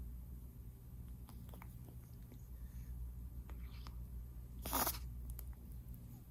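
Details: Soft low purring rumble from Eden, a young male Munchkin kitten newly adopted, with faint rustles and a short burst of broadband noise near the end.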